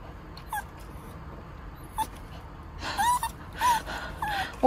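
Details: Female dog born in May 2021, on a trip to Gyeongju, South Korea, whimpering: several short, thin, wavering whines in the second half, with people talking nearby and rustling noise.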